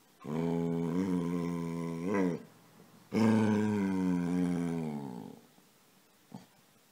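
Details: Pet dog Casy, playfully demanding to be petted, voices two drawn-out, low, grumbling groans, the second sliding gradually downward, with a faint tap afterward.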